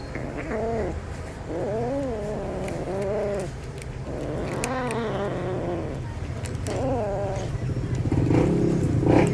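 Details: Cat making noises while eating: short arched, rising-then-falling moaning calls repeated roughly every second or two, over a steady low hum and clicking chewing sounds.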